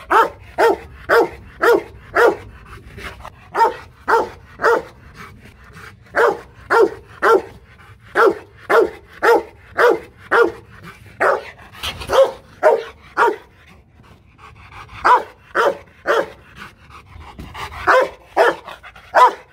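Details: Aggressive Rottweiler Loki Gervi at a Hanoi kennel barking in a long steady volley: roughly thirty powerful barks, mostly in pairs and triplets about half a second apart, with brief pauses between bursts.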